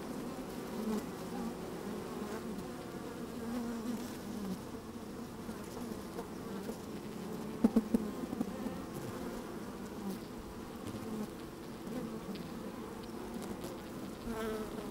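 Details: Honey bees working inside an open hive on a fine, sunny day, microphone slid down among them: a dense, steady low hum with shifting overlapping tones, a few brief clicks and knocks near the middle, light wind.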